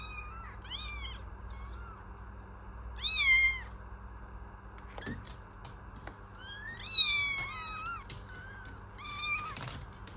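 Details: Kittens calling with a run of thin, high meows, several overlapping in quick bursts, others single and drawn out, against a low constant hum.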